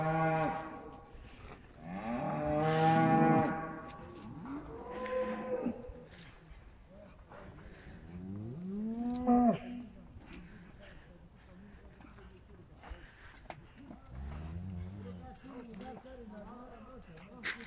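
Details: Cattle offered for sale as fattening cows, mooing loudly with deep, drawn-out harmonic calls that swell and fade, several overlapping moos near the start, then scattered lower moos; faint shuffling and background noise between calls.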